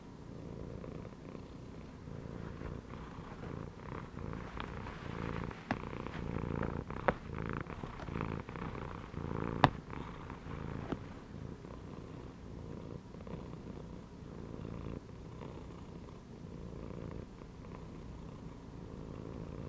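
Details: Content domestic cat lying in a gym belt purrs loudly and close up, with a rough rumble rising and falling about every two to three seconds as it breathes in and out. A few sharp clicks are heard midway.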